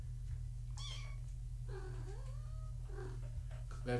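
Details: Tabby mother cat with her kittens born March 14, 2017, in an indoor foster room; a thin high mew, then longer wavering meows rising and falling, over a steady low electrical hum with faint speech.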